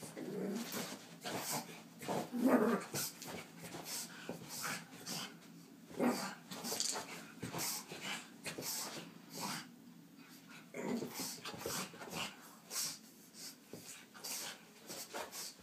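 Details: Pug named Frank, indoors, frightened by a small cat toy, gives brief low whimpers and huffs amid scattered clicks and rubbing noises, with a person speaking softly at times.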